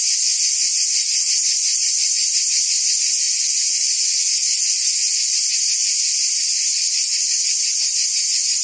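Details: Cicadas in forest trees produce a constant piercing whine with a faint rhythmic beat near three per second, steady in volume, and no birds or other voices are heard.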